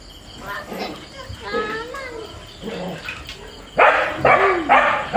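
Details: Husky and border collie pets in Kerala, India, fighting together. Low, murmuring vocal sounds open the recording, then three loud, sharp barks burst out close together near the end.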